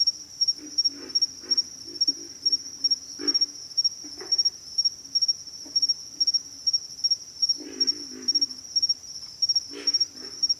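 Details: Groups of rough, pig-like grunts from pig frogs come in short runs separated by pauses, with a loud continuous high insect trill sounding over everything.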